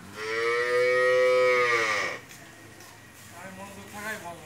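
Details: Friesian cow, four-toothed, having just calved for the second time with a bull calf, giving 27 to 28 litres of milk, lows once for about two seconds, a long steady harmonic moo, followed by quieter background sounds.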